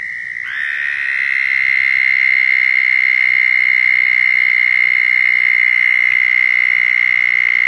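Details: A Southern toad (Anaxyrus terrestris) in Florida gives its mating call, a long, steady, high-pitched trill held without a break, to attract mates.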